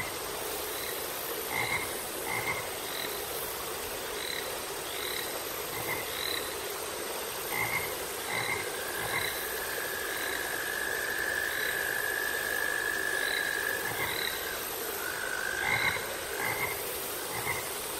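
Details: Frogs calling in a repeated chorus, short croaks with ringing upper tones at irregular intervals, one longer drawn-out tone near the middle, over a steady high hiss.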